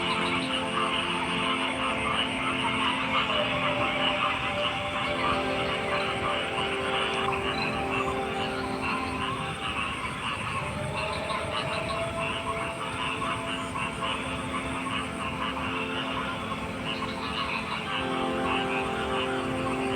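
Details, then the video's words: Chorus of frogs, countless croaks overlapping into a thick, pulsing wall of sound that barely changes over twenty seconds, over a constant low droning hum. "Frog Sounds"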